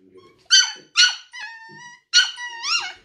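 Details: Greedy silver poodle, male, guarding his owner and toys from a white female poodle; sharp high barks in pairs with long whining whistled whines between, indoors.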